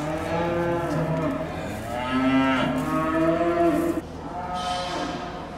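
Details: Hereford calves at the Sedgemoor Calf Show, a UK cattle show, lowing in long harmonic moos that rise and fall, overlapping calls through most of the clip, ending with a softer, quieter stretch.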